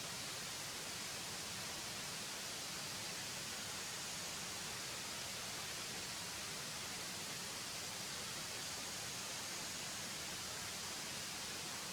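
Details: Steady, even broadband hiss fills the whole recording, strongest in the high range, with no animal voice anywhere.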